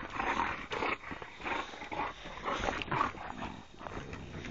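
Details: Playing Boxers, three dogs together, trading short throaty growls and grunts in uneven bursts, with a brief lull near the middle before another rough snarl.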